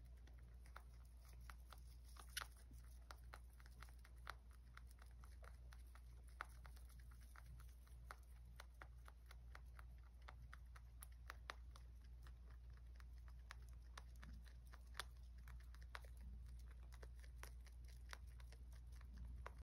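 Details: Rabbit munching for an indoor ASMR mukbang, soft crunchy bites tapping along irregularly, some louder cracks, all over a faint steady low hum in a small room.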